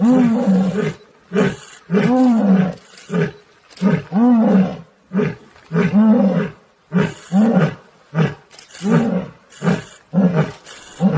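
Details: In the Gir forest, a lion and lioness roar together after a quarrel: about a dozen deep, grunting roar bursts in close succession, the first ones longer, later ones clipped and quicker, with no other sounds.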